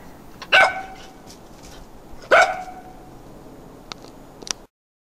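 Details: Three-month-old Norwegian Elkhound puppy in a backyard, barking to be let inside after play time; two short, sharp yappy barks about two seconds apart, then faint clicks, with a quiet question spoken just before.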